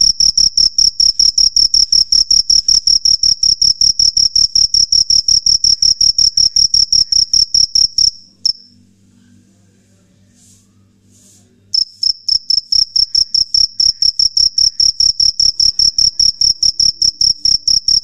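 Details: Night-singing male cricket, known locally as jhingur, rubbing its wings together to draw females; piercing high chirps pulse rapidly and evenly, falling silent for about three seconds midway before resuming.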